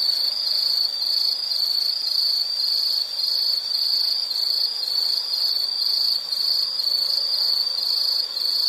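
An insect trills steadily in high, pulsing bursts that repeat without pause.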